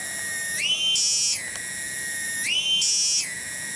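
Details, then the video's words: Cicada (tonggeret) singing in a village garden at Kampung Bunder, Cibening, Bungursari, Indonesia: a loud, continuous, ringing buzz that swells upward into a brighter, higher phase and then drops back. The cycle repeats twice. "SORA TONGGERET DI KEBON"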